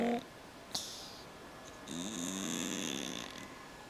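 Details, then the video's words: Sleeping cat snoring: a soft, breathy rasp swells for about a second and a half with a low, wavering rumble inside it, after a brief click and a quieter hiss, in a calm room. "My cat snoring"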